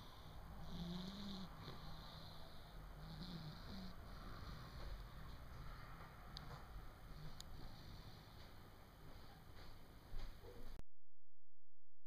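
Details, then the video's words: Pointer puppy named Coco snoring while asleep: low, rough breaths repeating steadily for about eleven seconds with quiet room hiss behind, then cut off abruptly by a steady electronic hum. "puppy coco snoring"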